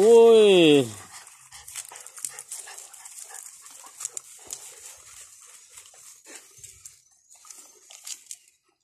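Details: Dog among puppies playing with their father: a single loud, drawn-out yelp slides downward in pitch within the first second, then only soft scuffling, rustling and faint thumps of play follow.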